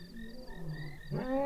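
A lion's low, harmonic moan swells abruptly into the louder, rougher opening of a roar.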